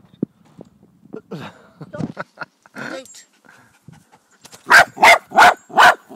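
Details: Jack Russell Terrier recorded on 26 July 2009: soft mutterings and rustling, then four loud, sharp barks in quick succession, about three per second, near the end.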